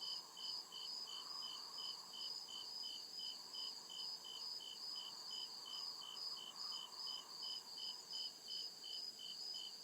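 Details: Crickets at night deep in the woods chirp in a fast, even pulse of high notes, about two or three per second, backed by a continuous piercing drone and muted lower hum.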